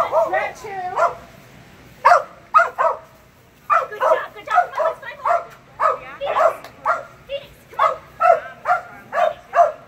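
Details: Phenix, a Kerry Blue Terrier, barks steadily through a Senior level Barn Hunt qualifying run on June 8, 2019, with sharp barks coming singly or in pairs about every half second, a brief pause near the two-second mark.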